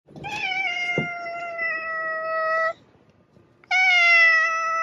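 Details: Domestic cat giving two long, steady meows, the first lasting over two seconds and the second starting after a short pause; each is a clear, slightly falling tone rich in overtones, indoors with little background noise.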